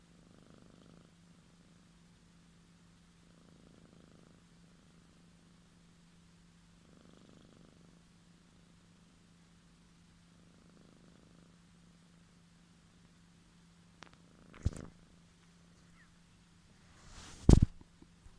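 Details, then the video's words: Quiet snoring from a sleeping female cat: gentle airy breaths rising and falling roughly every three seconds, then a few sharp clicks and a knock near the end, with a constant low hum. "Snoring cat"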